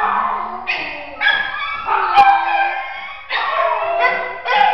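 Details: Scared four-year-old shelter terrier mix, wary of people, uttering about seven sharp, high-pitched yelping barks in quick succession, several stretched into whiny tones, with a short click partway through.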